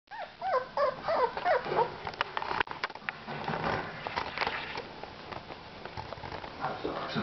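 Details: Two-week-old Whippet puppy making a quick run of thin, high squeaks and whimpers, several per second, for about two seconds, followed by rustling and handling noises.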